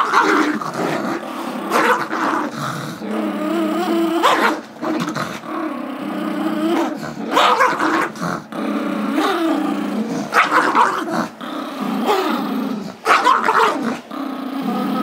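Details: Gizmo, a five-year-old Chihuahua/Yorkie mix, plays tug over a squeaky toy with Tigger, a two-year-old Yorkie, indoors in February 2011. Continuous rumbling growls rise and fall in pitch, broken by short yelping bursts and brief pauses.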